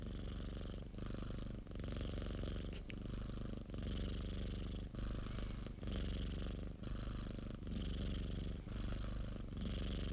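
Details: A pet cat's steady purr, recorded indoors, low and rumbling, swelling and fading in regular breath cycles about every two seconds, each inhale and exhale phase clearly separated by short dips.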